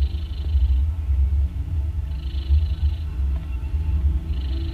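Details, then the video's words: Snoring of a domestic mother cat nursing three newborn kittens born the previous day; soft airy snore sounds come roughly every one and a half seconds above a heavy low rumble. "Cats Snoring loud While Nursing"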